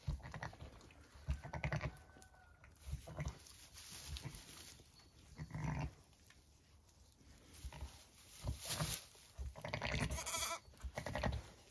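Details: Motherly mutterings from a Zwartbles ewe tending two ram lambs born at 6am on a County Kilkenny farm in Ireland: deep, soft rumbling grunts in bursts a few seconds apart, with some rustling of bedding.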